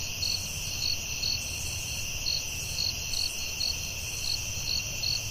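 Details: In a nighttime forest, crickets keep up bright chirps at an uneven pace, two or three a second in bursts, over an unbroken high-pitched insect hum and low rumble.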